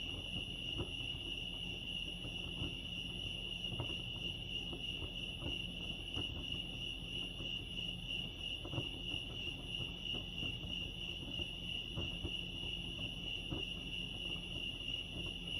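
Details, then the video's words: Lake Arrowhead crickets in California produce a constant high-pitched ringing chorus without pause, while a low rumble and occasional faint clicks sit underneath. "Serenity sounds crickets chirping lake arrowhead"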